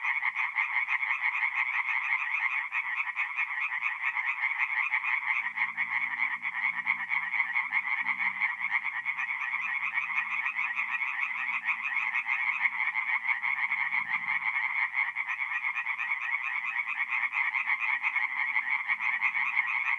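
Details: Numerous tree frogs singing after dark at a forest pond in north-east Italy in mid-April, a thick, relentless rattle of rapid croaks, with faint low rumbling sounds in the background midway.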